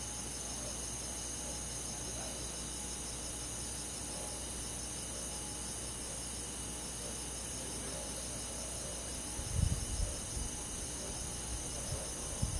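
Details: Crickets and forest insects chirp in a steady high chorus on a summer night in the countryside, rapid pulses from many callers, with a couple of dull low thumps near the end.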